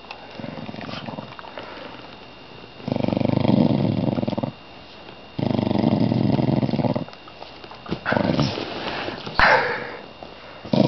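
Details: Pet dog that growled while awake and then fell asleep indoors: long rasping, rumbling breaths of about two seconds each, separated by quiet gaps, with a brief knock and rustle.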